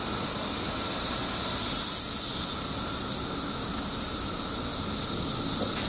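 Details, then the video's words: Mass emergence of periodical cicadas in Illinois after 17 years underground, a continuous shrill hissing chorus with a steady lower whine; the high drone swells louder for about half a second near the two-second mark. "Billions of Periodical Cicadas Emerge After 17 Years Underground Cicadas Making Noise"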